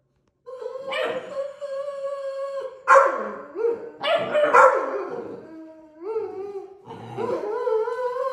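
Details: A Deutsch Drahthaar puppy in its third week of bench training gives long, drawn-out tonal howls and whines, some sliding down and others bending upward, with a few rougher yelping bursts between them.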